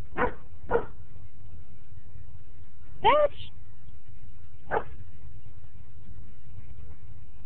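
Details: German Shepherd named Dutch barking at a neighbour dog while exploring a backyard. Four loud, punchy barks, two close together at the start and one with a rising then falling yelp. A person speaks nearby over low rumbling noise.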